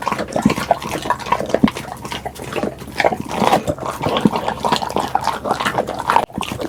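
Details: Pit bull dog eating, close-miked chewing sounds: continuous smacking, slurping clicks mixed with low throaty grunts and snorts, steady rhythm with a short break near the end.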